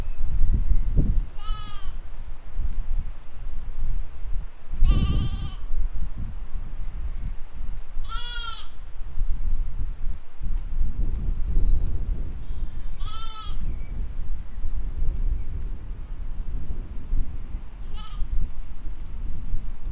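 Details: Flock of sheep and lambs grazing in a field, spring 2020; five wavering bleats spaced a few seconds apart, some loud and near, others softer, with low wind rumble and occasional thumps throughout.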